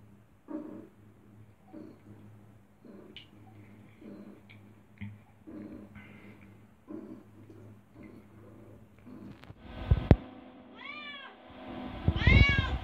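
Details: Kurri, an adopted, curious indoor cat aged 5 years 8 months, explores a bathroom, nearly falls into the bathtub and licks bathwater. Soft rhythmic licking sounds fill the first nine seconds, then a loud thump, then two short arched meows near the end.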